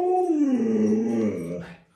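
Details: Alaskan Malamute, a pet dog, howling: one long smooth tonal howl with rich harmonics that slides downward and then fades out.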